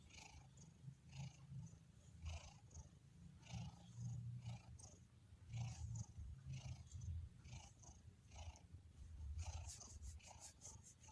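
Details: Relaxed domestic cat giving a deep, rumbling purr that throbs steadily low, with soft breathy bursts in rhythm and a quick series of faint clicks near the end.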